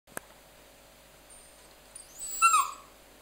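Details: Mya, a pet dog, 'talking' while being cute: after a quiet start with one sharp click, a single short high whiny vocalization slides downward in pitch, strong and clear, then quiet room background.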